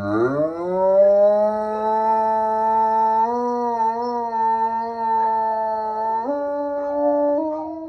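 A Bloodhound gives a long, sustained howl that rises at the start and steps up near the end.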